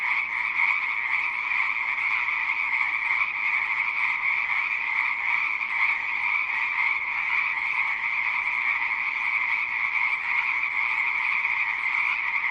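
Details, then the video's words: Many frogs call together in a continuous massed croaking, buzzy and shimmering, with a strong high band over a softer lower one and no pauses or other clear sounds. "Rah ama harre | frog | ضفدع"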